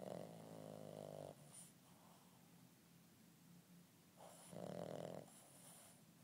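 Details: An 8-month-old Boston terrier puppy snores while napping, in slow, rumbling breaths, each drawn-out snore separated by a quiet pause.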